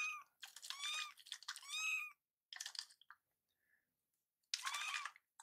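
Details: Two rescued foster kittens, Noboru and Yuzuru, indoors; Yuzuru has taken to meowing a lot since his scab came off. Clear, high, arching kitten meows, a quick pair, then a short one and a final cry, with light rustling.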